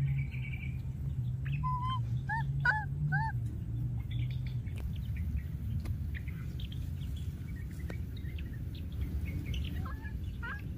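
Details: Wild baby monkey calling repeatedly after losing its playmate: a run of short, arched, whistled cries in quick succession, then fainter scattered squeaks later, over a steady low rumble.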